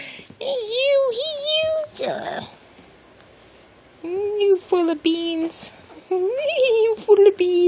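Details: Small blue male miniature Dachshund named Romeo at play, giving high whining, yelping vocalizations in short bursts around a two-second silence, with a person speaking to him affectionately nearby.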